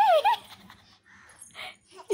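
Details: Cat vocalising while a child touches its tail: a loud, short, harmonic meow that slides downward, then a brief higher upturned note, followed by quiet rustling and faint indoor sounds.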